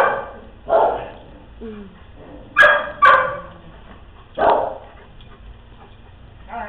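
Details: Dogs at play give short, sharp barks and yips spaced unevenly over several seconds, with a close pair of barks in the middle; faint background noise between calls.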